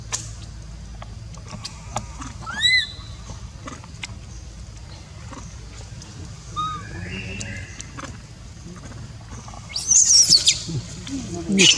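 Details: Baby monkey crying while its mother refuses to care for it: thin, rising whistled wails early and midway, then a loud, shrill, broadband scream near the end, over a low steady background hum.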